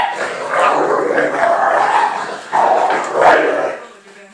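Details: A three-year-old female American Bulldog named Fudge, with her new puppy companion Patch. Rough, sustained growls and grumbles surge and fade across several seconds, rising in a loud burst before trailing off, with a voice faintly underneath.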